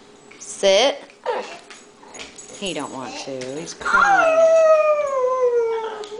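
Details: Pet Boxer Axel, crying because he wants to be with a man in the garage, gives short warbling yelps and whimpers, then a long wavering whine gliding downward, with a woman talking to him nearby.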